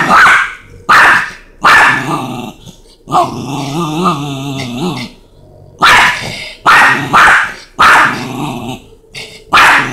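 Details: A Chihuahua and a Rottweiler square up: sharp barks in pairs open the exchange, a wavering, throaty growl holds for about two seconds in the middle, then barking resumes in quick doubles.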